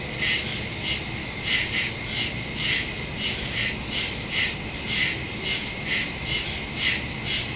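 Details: Night chorus of crickets in the woods, September 2, phone with stereo microphone: shrill pulsed chirps about twice per second over a constant high insect hiss.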